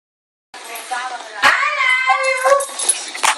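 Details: Chihuahua barking and whining in response as its owner says I love you; a rising, harmonic yowl-like vocalization held for about a second, then shorter yips, with the owner's voice overlapping.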